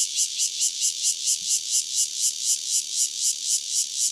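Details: Lone cicada (Cryptotympana takasagona) recorded near Dona village, KaoHsiung County, giving a piercing, sizzling high buzz that swells and fades in quick pulses, about three every second, steady throughout.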